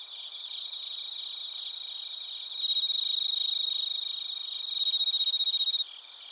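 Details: Crickets, including bell crickets, recorded in Narita, Chiba, Japan with a TASCAM Portacapture X8: fast, rhythmic high-pitched pulsed chirps layered over a steady shrill chorus, growing louder partway through, then briefly dropping away at the close.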